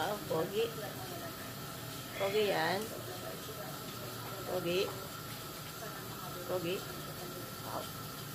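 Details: Siberian husky giving short, wavering whines that rise and fall in pitch, four separate bursts about two seconds apart, over a steady background hum and hiss.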